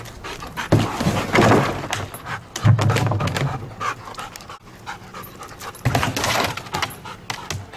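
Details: Detection dog candidate Camper pants heavily in training, with clusters of hoarse, breathy huffs separated by short pauses, and a handler's voice calls out encouragement and praise between them.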